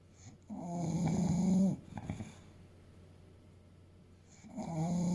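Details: Sleeping English Bulldog Fuku, an eight-year-old 30 kg male, lets out a long grating snore over a second long, then a quiet pause before another snore starts to build.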